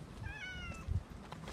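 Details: Cat at a neighbourhood passage on the morning of July 2, 2018, during a week of paving work, giving one soft, short meow that slides downward, amid low background rumble and a woman gently calling in Japanese.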